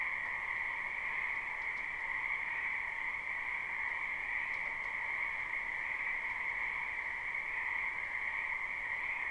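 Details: Steady frog chorus from a wetland in spring, a live recording with no looping: a thick wall of overlapping croaks at two even pitches, with a few faint higher ticks mixed in.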